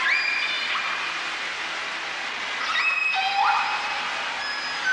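Whale squeals, high and tonal with bending pitches, over a steady loud motor hum.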